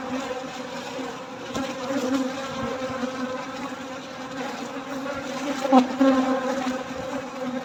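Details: Dense, steady hum of many honey bees, wingbeats blending into a low droning buzz, during a honey harvest at night.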